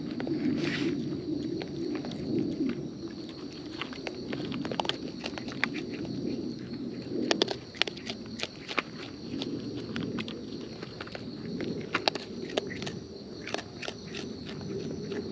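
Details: Wild raccoons eating close up, giving natural chewing sounds: a steady run of sharp crunching clicks and snaps scattered throughout, some in quick bursts, over a soft constant outdoor hiss.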